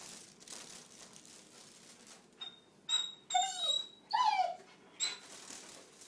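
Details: Adenine, a male German Shorthaired Pointer about one year old, chasing a dragonfly around a kitchen; a few high, bending whines rise and fall over about two seconds against a low indoor hiss, with a thin steady tone in between.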